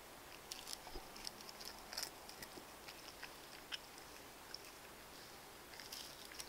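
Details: House cats feeding on wet food, dry food and bonito flakes, recorded with low-quality devices: bursts of crackling clicks and licking smacks, grouped in short clusters about every half second, with a quiet hum underneath.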